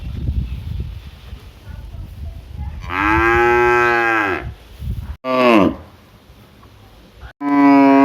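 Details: Big cow in a village mooing: a long loud harmonic moo of about two seconds, then two shorter moos after abrupt cuts, with low rumbling background noise before the first call.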